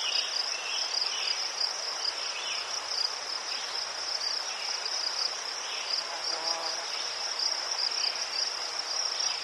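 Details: Steady, high cricket chirping from Ukraine among chrysanthemums, a constant pulsing trill with a few scattered lower chirps and a faint low hum.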